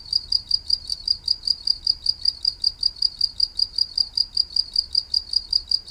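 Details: Cricket chirping beside white-flowered plants, steady high-pitched trills pulsing about two and a half times per second, regular and unbroken, with a faint low hum underneath.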